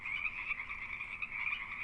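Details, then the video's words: Frogs giving mating calls during the breeding season: a steady wall of high, buzzy trilling from many callers blending together, with a quieter lower band underneath, continuous for the whole stretch. "The vital role of frog mating calls in their survival makes preserving these habitats all the more crucial."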